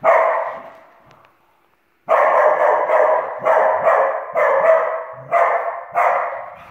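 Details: A Dachshund playing and chasing another dog indoors gives a long rough bark, falls quiet, then barks in a steady run.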